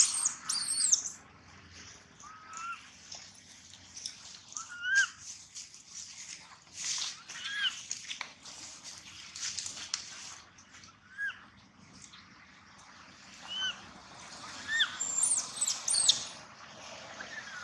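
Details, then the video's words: Gino, a baby monkey, cries on and off for a long stretch: repeated short, thin squeals and wavering whimpers with brief pauses between, loudest at the start and again at the end, against soft background noise. "Poor baby monkey Gino crying sound loudly a long time till Quiet"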